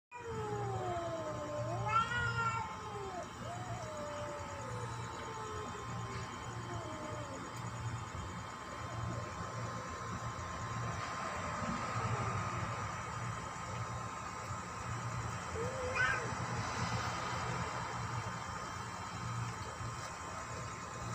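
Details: A tabby cat fighting gives wavering, drawn-out yowls with bending pitch in the first seconds, then a brief yowl later. A constant electrical hum and steady background noise run throughout.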